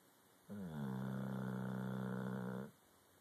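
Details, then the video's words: Sleeping Cane Corso, a mastiff with floppy cheeks, snoring peacefully indoors: one long drawn-out rasping snore with a low buzzy drone lasting about two seconds, starting and stopping abruptly, with quiet room hum before and after. "Snoring Mastiff floppy cheeks"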